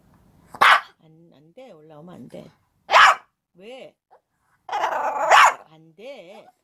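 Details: Shih Tzu named Lotto, indoors at a broadcast rehearsal, giving three sharp, loud barks about two and a half seconds apart, with wavering whiny tones and people talking in Korean in between.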